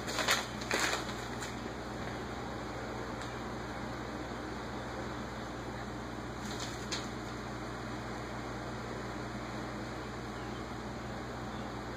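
Steady indoor hum and hiss with a few brief knocks and rustles, and no clear animal voice.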